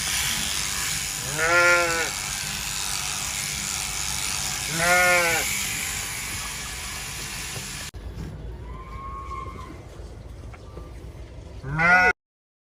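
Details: Sheep during winter shearing gives quavering bleats, two in the first five seconds, then a quieter stretch with a faint tonal hum and one last loud bleat at the end; steady buzzing of electric clippers beneath the first part.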